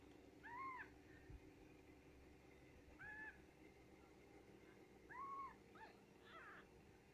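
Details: Newborn Japanese Bobtail kittens from S Rabbit's litter give three separate, rising-then-falling squeaky mews, spaced about two seconds apart, against a quiet constant background hum.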